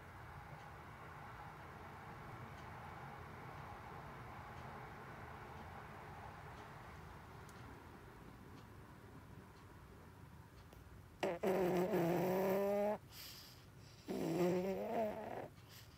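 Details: A 16-year-old female pug, blind and deaf, snores loudly in deep sleep, with two buzzy, rumbling breaths after a stretch of quiet background hum.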